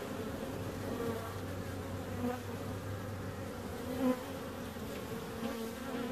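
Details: Continuous droning buzz of bees, layered harmonic hum with a low rumble underneath in the first half and a brief louder swell just after four seconds.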